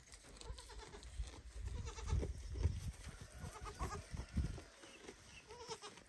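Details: A baby goat, watching its mother eat, bleats loudly and repeatedly with wavering cries, calling its mother to feed it.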